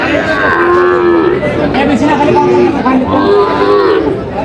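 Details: Sahiwal bull calves at a cattle market, bought by a farmer from Chandpur, 23 July 2025: several short, rising-then-falling bellowing moos follow one another, set against steady crowd chatter and voices.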